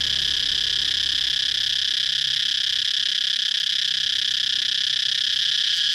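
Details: Continuous shrill cicada chirping, an even high-pitched drone that never breaks or fades across the whole stretch, dense and ringing.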